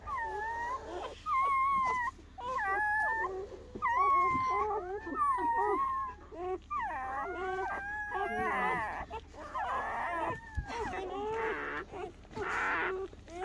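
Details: Newborn German Shepherd puppies, born to their mother Betty on her first night of labour in a dimly lit whelping area, squeal in high, wavering whimpers, each rising and falling, in overlapping bursts about once a second with low background hum.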